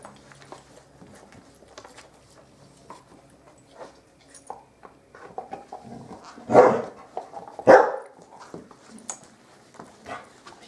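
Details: Playful Bearded Collie puppies of the M litter on a roof terrace. Soft rustling and pattering build up before two abrupt, forceful barks about a second apart, followed by more quiet scuffling.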